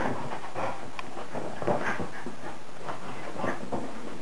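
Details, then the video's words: Maggie, a 10-year-old Wire Haired Fox Terrier, plays on a boring winter day, attacking a frisbee: rough, breathy panting and snuffling bursts with scuffling noise throughout. "Maggie kills the frisbee. Wire Haired Fox Terrier."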